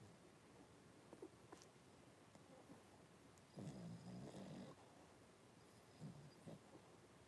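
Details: Blenheim Cavalier King Charles Spaniel puppies, a litter of five born on New Year's, in a home puppy pen with their mother Paris on 26 January 2023; a low, harmonic moaning whimper lasts about a second, with soft rustles and short grunts around it.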